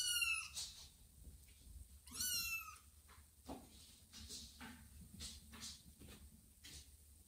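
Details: Newly adopted ginger kitten meeting a little gang of kittens, who sniff and greet him indoors; two loud high kitten meows with harmonic stacks near the start and after two seconds, then soft rustling and faint scuffling.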